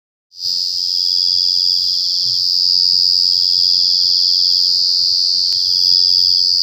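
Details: Cricket chirping so loudly the ears ring: a steady, high, shrill trill starts abruptly and holds unbroken at a constant pitch, with a fainter pulsed buzz just beneath it and a low hum in the background.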